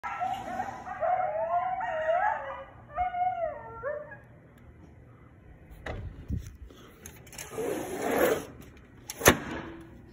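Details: Coyotes outside a window in Brighton, Massachusetts, heard over several weeks: wavering high yips and howls in several bursts during the first four seconds, then thumps, rustling and handling noise.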